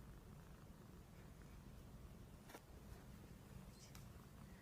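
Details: Plump Somali and Norwegian Forest Cat cross purring then snoring in sleep; continuous low rumbling throb with little else, one or two soft rustling ticks.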